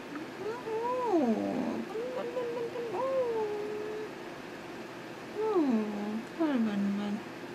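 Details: Pet cat heard indoors giving several drawn-out meows that rise and then fall, some bending up at the end, over a steady background hum.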